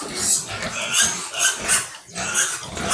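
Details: Sows in a farm pig pen, native pigs in the Philippines: loud harsh squeals in bursts about every half second, rising and falling, with pen noise beneath.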